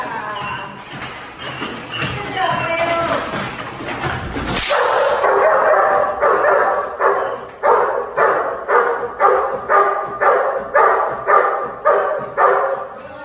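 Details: Dog barking during protection training, recorded 20 January 2019; rough mixed noise and barks at first, a loud burst near the middle, then sharp regular barks repeated about twice a second.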